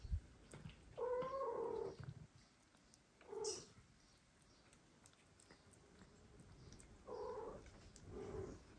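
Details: Indoors, a mother cat turns two growing foster kittens away from feeding and the father cat helps. Two long, wavering meows about six seconds apart, each followed by a shorter, quieter call. Faint rustles fill the gaps.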